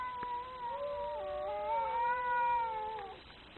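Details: Very angry cat giving one drawn-out, tonal yowl lasting about three seconds, holding steady, then swelling slightly and bending downward at the end.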